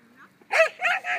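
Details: Two-year-old German Pinscher during protection training, giving a short burst of three loud barks in quick succession, the first sharpest, each rich and harmonic.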